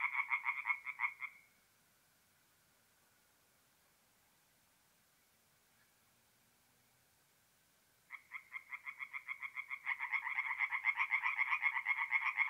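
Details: Night chorus of tree frogs at a forest pond in north-east Italy in mid-April. Rattling croaks stop abruptly, about six seconds of near silence follow, then calling resumes and swells into a loud pulsing chorus.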